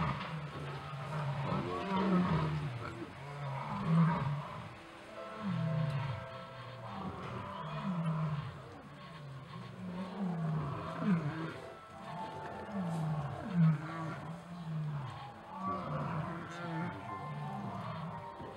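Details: Lions at evening chases, with the pride leader setting order; a deep, low moaning roar repeats in pulses roughly every two seconds throughout, steady and rumbling, while people talk quietly in the background.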